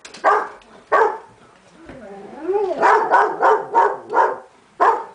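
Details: Irish Setter barking at the mail carrier, sharp single barks followed by a rapid burst of repeated barks, with a person speaking in the middle.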